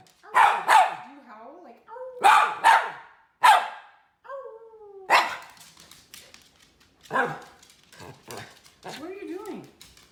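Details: Miniature red poodle, a male, barking at his owners for a treat: about seven sharp, loud barks, several in quick pairs, spaced over ten seconds, with a person's voice speaking between the barks in a small room.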